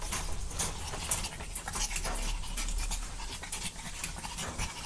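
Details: Young dogs playing, dense bursts of hoarse panting and rustling movement, fairly loud and continuous with a low hum beneath.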